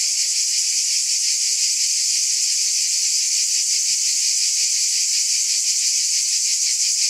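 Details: Steady, shrill cicada chorus: a continuous high hissing buzz with light rapid pulsing and even loudness throughout, and nothing else clearly audible.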